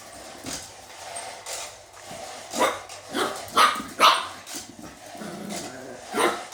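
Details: Pet dog barking at a robot dog: short, sharp barks in an irregular series, four strong ones bunched in the middle and another near the end, spaced from under half a second to about two seconds, over a low steady hum.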